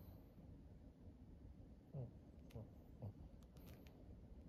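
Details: Maria, a thirteen-year-old fawn female pug in Japan, recorded in August 2023: three short, low, throaty grunts roughly half a second apart, over a faint steady hum with scattered light clicks.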